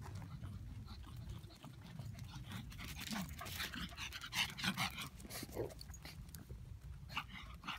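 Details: Pug puppy at play with a canine friend; rapid breathy pants and snuffles, a few short whimpering squeaks, steady low background hum, people talking faintly.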